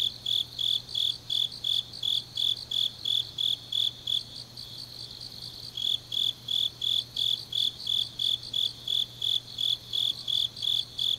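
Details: Grass insects calling late on an autumn night in Changnyeong, Korea: rhythmic high chirps about three per second, briefly thinning out midway before resuming strongly, with a quiet constant hum below.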